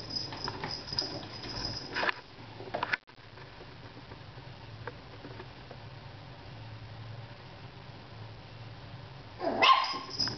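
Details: Pet dog Pixie barking because the cat ignores her: sharp, noisy barks in the first two seconds, a long quiet stretch, then a louder burst near the end, with faint household background.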